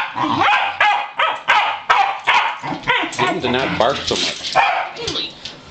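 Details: Three unrelated male Pembroke Welsh Corgis on a farm, being let outside to play, bark in quick, sharp, repeated bursts, about two or three per second. A person's voice talks over the excited dogs throughout.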